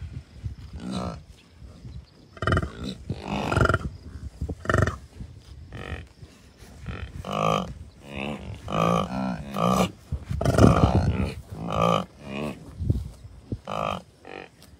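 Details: Wild American bison herd of many cows, a few bulls and dozens of calves at Rocky Mountain Arsenal Wildlife Refuge, Commerce City, Colorado, June 2, 2022; overlapping deep, harmonic, moaning grunts come in quick succession from several animals, with light wind.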